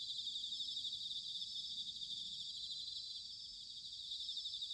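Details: Bell crickets in autumn at Sanuki, Chiba, Japan, heard more distantly: a steady, even, high-pitched trilling haze without clear peaks, over a soft rumble of low background noise.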